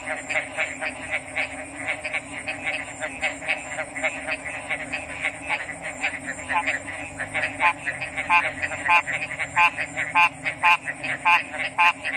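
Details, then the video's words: Frogs calling in a dense chorus: short, harmonically rich croaking pulses repeat rapidly, roughly two per second, and grow louder and more distinct toward the end, over a constant high-pitched whine and a low background hum. "RELAXING ORIGINAL FROG'S SOUNDS"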